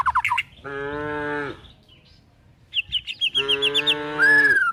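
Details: Tame village cows and calves being herded toward a forest while looking for food; two drawn-out, low, harmonic-rich moos of about a second each, separated by a pause, with quick chirping birdsong before and between them.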